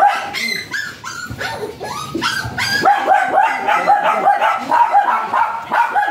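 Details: Japanese Spitz at Aringay, La Union, kept for stud service, letting out a steady stream of sharp, bright yaps, roughly two per second, growing denser and louder in the second half.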